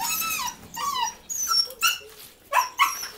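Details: Rescued dogs in Coin, Malaga, Spain, whining eagerly: drawn-out, high, sliding whines and shorter yelps overlap in uneven bursts, with a man's voice nearby.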